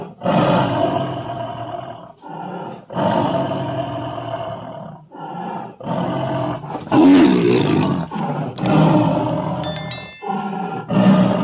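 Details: White tiger growing angry while being fed: a run of loud, deep, harsh roars, each lasting one to two seconds with short gaps between, about nine bursts in sequence, some rasping and broadband.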